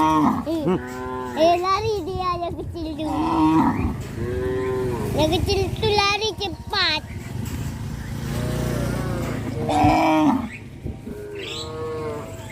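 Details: Traditionally bred cattle herd on the move toward a field; many cows moo in quick succession, loud harmonic bellows rising then falling, some overlapping, with a constant low rumble behind.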